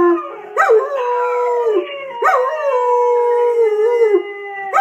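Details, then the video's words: Household dog suspected to be part ridgeback howling along to a recorded ridgeback; three sustained mid-pitched howls, each starting with a sharp rising onset, then holding steady and fading, with overlapping tones. "dudley howls at youtube video"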